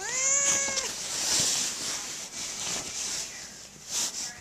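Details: Emmy, a domestic cat trapped under a fitted sheet after refusing to move while the bed was made, calls out for help: one clear, drawn-out, steady-pitched meow at the start, then soft rustling of bedding.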